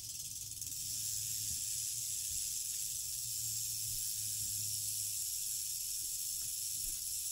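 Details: Female eastern diamondback rattlesnake giving its rattle, a steady high sizzling buzz that swells in after the first second and stays unbroken, with a low rumbling hum in the background.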